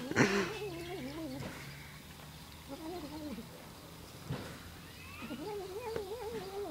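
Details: Domestic cat producing a funny noise, three wobbling, quavering yowls, each about a second long with a tremulous up-and-down pitch, separated by short pauses, plus a low steady hum and a few clicks.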